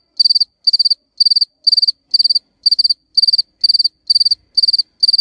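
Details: High-pitched courtship chirping of a male cricket calling to females, steady trains of four to five rapid clicking pulses per chirp, about two chirps each second, clean and without other sounds.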